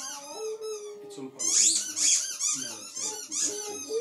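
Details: Indoor howling from Poppy the dog: a short, steady howled note, then a tumble of high, squeaky yelps and whines with brief tonal notes between them.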